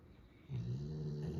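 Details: Golden Retriever asleep, one of three dogs in the home and noted as the loudest snorer; after a quiet half second a single long, low, droning snore with a steady buzzing tone holds to the end.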